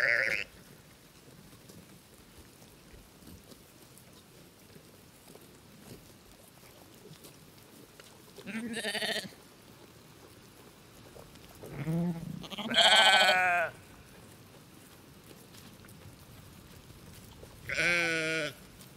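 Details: Sheep on a farm giving several separate baa calls spread over the stretch, some short and wavering, others longer and tremulous, with quiet background hiss between them.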